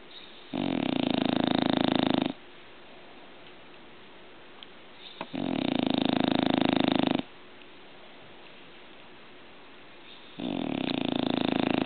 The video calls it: ENGLISH BULLDOG ANGUS SNORING